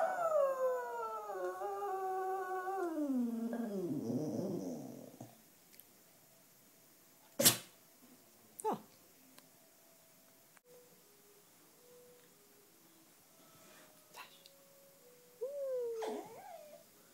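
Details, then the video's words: Sashka, a black female Cocker Spaniel that howls along to wind instruments, especially clarinet, gives one long harmonic-rich howl that glides steadily downward over about five seconds, then a quiet indoor room with a few knocks and a short rising whine. "Sashka - A Howling Cocker Spaniel"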